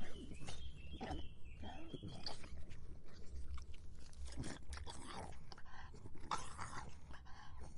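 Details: Dog drinking on a hot summer day, recorded up close indoors: scattered wet slurps and clicky laps arrive in irregular clusters, some stronger bursts near the middle and end, over a low steady hum.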